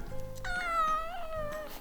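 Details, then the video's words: Sleepy domestic cat indoors meows on cue when its owner sings "meow if you're happy"; one long, tonal, slightly falling meow lasting about a second, with soft classical background music throughout. "고양이 행복하다면 야옹해"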